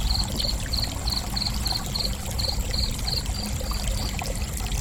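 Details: Cricket chirping: a steady run of short, high, pulsed chirps, roughly three per second, softening slightly toward the end, set over a constant rushing, trickling water background.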